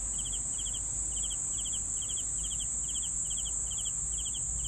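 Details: Chirping crickets for sleep: regular short pulsed chirps, about two per second, running evenly through the whole stretch beneath a steady high-pitched insect drone, with faint low background noise.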